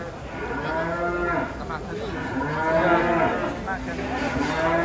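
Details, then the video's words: Several drawn-out, wavering bellows from angry cattle being taken down from a truck, three animals in all, overlapping moos rising and falling, with clapping and people's voices nearby. "3 SAPI NGAMUK DAN LUCU TURUN DARI TRUK TAK TERKENDALI"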